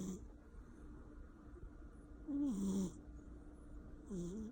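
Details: Loud snores from a sleeping male Persian cat: two hissing, rasping breaths with a dropping low tone, separated by a quiet pause, over a faint steady background hum.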